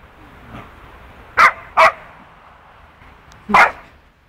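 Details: During rough play between a two-year-old poodle and a four-month-old wolfdog puppy, two quick sharp barks come close together, then a pause and one more bark, over a faint background hiss.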